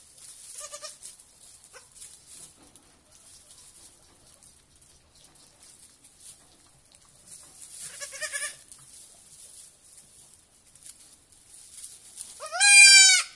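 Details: Young goat kids on their first evening at a petting farm; a few soft, quavering bleats early on, then a loud, wavering bleat with a sharply rising start near the end, with light rustling between.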